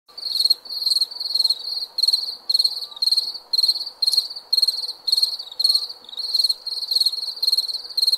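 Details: Crickets chirping at night: high, buzzy pulsed chirps repeated roughly twice a second in a steady rhythm, with a faint continuous lower hum beneath and no other clear sounds.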